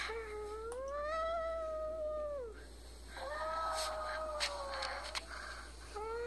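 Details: Male Chihuahua, five years old, howling at home while a female nearby is in heat; two long arched howls, each rising slightly then dropping at the end, with a short pause between and faint voices in the background.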